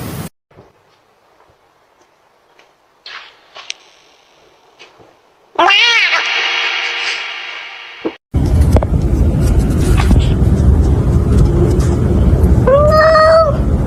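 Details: A domestic cat named Jack, whose voice is deeper than most cats', gives long, harmonic-rich wailing meows that bend upward and sag, then a short upswept mew, over heavy low rumbling noise and a brief human voice.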